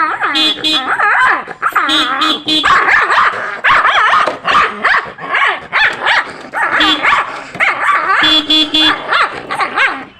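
A dog barks and yelps angrily in rapid bursts while a horn sounds in short blasts.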